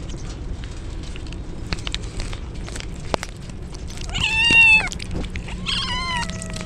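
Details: Stray kittens wet through in typhoon rain cry loudly, a strong falling meow followed a second later by a second plaintive, wavering meow, with rain patter and sharp drips around them.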